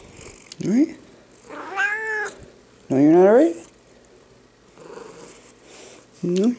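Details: Big male pet cat, angry at being held, gives short rising meows in bursts, each with stacked harmonics, between stretches of a man's soothing speech asking if he is alright.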